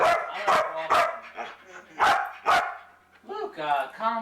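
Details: Luca, a talkative foster dog, gives sharp barks roughly every half second, a pause, then two more barks followed by drawn-out, wavering harmonic whines; people talk to him in the background.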